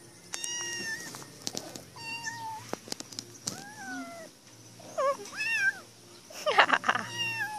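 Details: Female cat shut in a cage meowing to be let out: a string of short, bent meows, some rising and falling, others drawn out and wavering, with faint clicks and rattles between calls.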